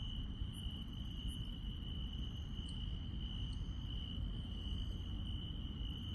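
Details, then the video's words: Night insects in a rural setting keep up a steady, ringing trill on one pitch, with only a few faint, scattered ticks higher up and a deep background hum underneath. "시골 밤의 정겨운 풀벌레 소리"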